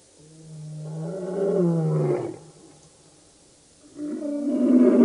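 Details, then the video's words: Lions of the Birmingham Boys coalition at a dam, Djuma Game Reserve, Sabi Sand, Kruger Park, South Africa, August 11-12 2016: a long low moaning roar swelling then fading, a pause, then another roar building at the end. "Birmingham Boys roaring at the dam"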